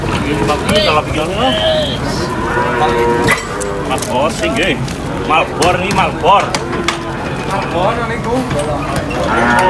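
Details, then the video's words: Many cows coming off a truck at a market, calling in short, overlapping bellows that rise and fall, with clatter and busy market noise behind. "funny cow unloading from truck at the market"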